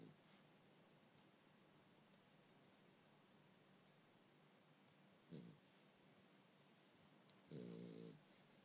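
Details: Sleeping French Bulldog Bumble B in a quiet room: long near-silence, then a brief snort and a single louder, buzzy snore lasting about half a second.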